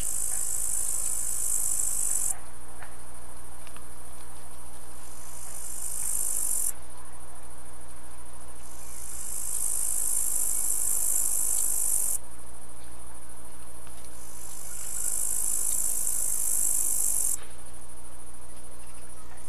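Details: Tailed and green grasshoppers singing: sustained, shrill, high-pitched buzzing phrases of several seconds that alternate with short gaps, over a constant low background hum.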